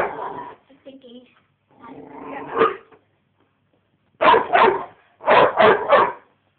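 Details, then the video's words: Young American Bulldog Kassy, five and a half months old, barking at her teddy; human voices come first, then two quick barks followed by a rapid burst of three, loud and rough. "Kassy Barkin At Her Teddy"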